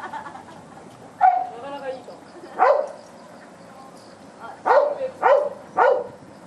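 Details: Sheepdog named Teruko working sheep on 11 October 2010, driving a flock out of a corner where it had got stuck; five short, sharp mid-pitched barks at uneven intervals, the last three in quick succession, with people talking quietly in the background.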